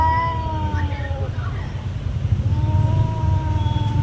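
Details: Domestic cat in a territory fight, giving long drawn-out yowls that hold steady then slide downward, a second wail rising after a pause, over low rumbling background noise.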